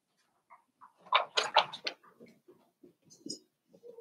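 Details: Five-week-old Cavalier King Charles Spaniel puppies from Daisy's litter in their indoor puppy pen, giving a burst of short squeaky yelps and grunts followed by scattered soft snuffles and rustling.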